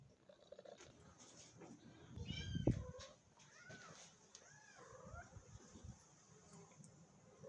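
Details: Domestic mother cat in a cage that serves as her nest, guarding her very small kitten and not wanting it touched; several short, rising-then-falling meows are scattered through the clip over quiet indoor background, with one sharp thump near the middle.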